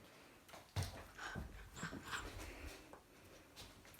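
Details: Young chocolate Labrador Retriever named Bek, indoors on a bed and refusing to let its owner onto it, gives soft, brief high whimpers with quiet panting and snuffling amid rustling and handling noise.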